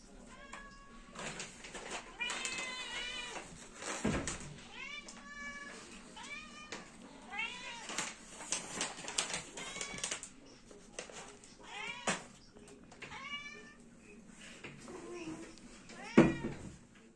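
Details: A cat before eating gives a long run of loud, repeated meows, some short and bent upward then down, others drawn out and wavering, separated by brief pauses, with occasional knocks and a human voice in between.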